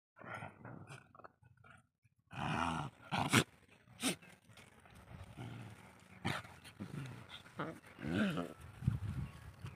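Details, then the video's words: Desi dog mother and puppy in an aggressive play fight, with rough growls and snarling bursts broken by short sharp yelps, irregular and overlapping, a quiet stretch at the start before the scuffle grows loud. "Desi dog puppy VS Desi dog mom💙 Fanny fight video agressive mom and very nice puppy agressive puppy"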